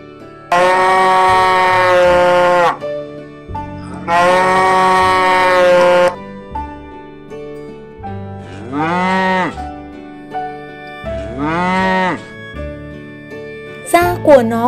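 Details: A yellow cow that feeds on dry straw moos twice, each call a short arching low bellow about three seconds apart, set against loud sustained children's music with bright held chords.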